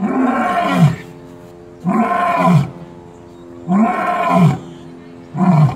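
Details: A lion at Gulf Shores Zoo gives deep, throaty grunting roars, each about a second long, repeated every couple of seconds.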